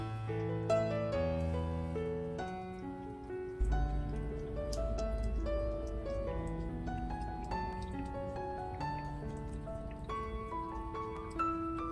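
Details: Melodic instrumental music with sustained, stepping notes over a low bass and a soft patter like rain, with no animal calls heard.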